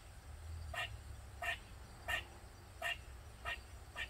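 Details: Squirrel heard from a backyard in Maryland during a long bout of loud crying. Short, sharp chirping barks repeat about every two-thirds of a second, six in a row, over low background hum.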